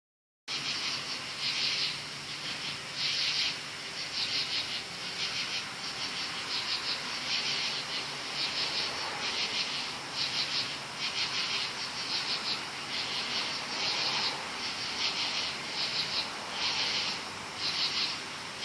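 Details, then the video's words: Many loud crickets calling at night in woods: a dense high chorus of pulsed trills, bursts swelling roughly every second over a steady shrill hiss, with no other clear sounds. "LOUD CRICKETS at NIGHT In WOODS.Many crickets."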